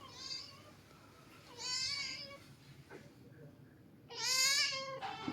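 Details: Domestic cat meowing indoors: three drawn-out, richly harmonic meows spaced about two seconds apart, each rising then falling, the last the loudest and brightest.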